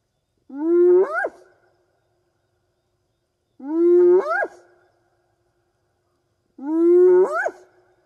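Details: Three whoops from a spotted hyena in the African bush at night, a long-distance contact call to fellow clan members; each is a steady moaning tone ending in a sharp upward swoop, repeated roughly every three seconds over silence.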